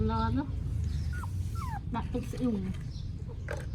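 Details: Phone recording of newborn puppies in Cambodia: a few short, thin whimpers sliding downward in pitch, separated by pauses, partly masked by people talking in Khmer throughout.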